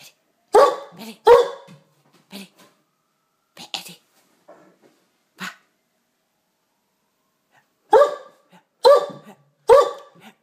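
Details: A male Great Dane barking in play before attacking a box: loud, harsh barks in a pair, a few softer scattered ones, then a quick run of three after a long pause.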